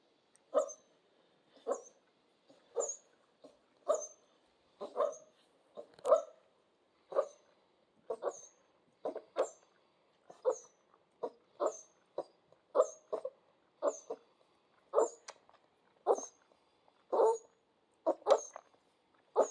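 Central Asian Shepherd puppies give short, yelping barks and whines, about one each second.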